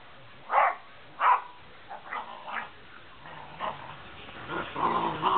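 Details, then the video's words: Two dogs, a big white malamute and a small brown puggle, playing together: two loud sharp barks, then quieter grumbling growls and yips building toward the end. "Malamute vs Puggle"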